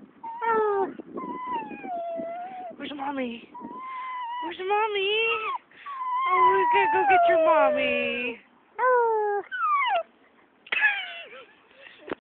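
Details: A dog howls and whines at a park minutes after arriving from a walk. A series of wavering wails, some sliding downward, is separated by short gaps, while a woman coaxes it about going home.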